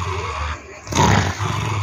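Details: Dalmatian dog growling, nervous and angry at being called to take a hot bath; low rumbling growl that swells into a louder, rougher burst midway, with a woman coaxing it in Portuguese.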